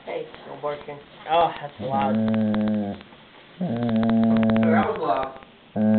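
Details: German Shepherd named Shelby guarding her toy indoors: long, steady, tonal growls of about a second each, one after another, with a person talking over and between them in a small room.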